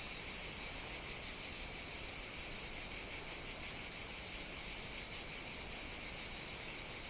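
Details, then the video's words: Chorus of cicadas on Evia, Greece, during hot summer weather: a dense, unbroken high buzzing drone with slight rapid throbbing, level and constant from start to end. "Cicadas Sing On the Greek Island of Evia"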